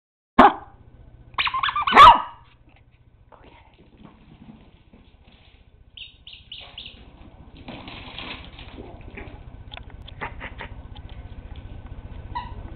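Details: Puppies playing: a sharp yelp, then two quick loud barks within the first two seconds, followed by quieter rustling, soft squeaky sounds and clicks.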